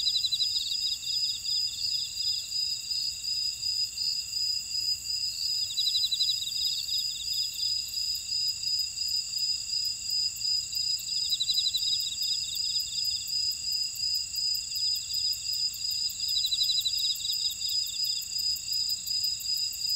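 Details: Chorus of grass insects from a buckwheat field in Ora-dong, Jeju, South Korea: continuous piercing high ringing tones layered with rapid trilled pulses that swell in bursts every few seconds, no other sounds.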